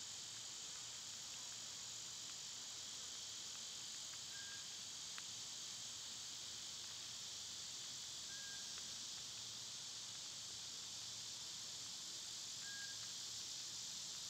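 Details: Unbroken summer cicada chorus, a dense high hiss filling the air evenly throughout, with a few short faint whistled notes and a single sharp click in the background.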